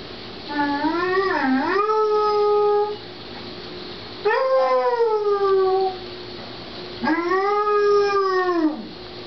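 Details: A female Basset Hound howls after her owner left the house, giving three long, wavering howls, each sliding up and then drooping at the end.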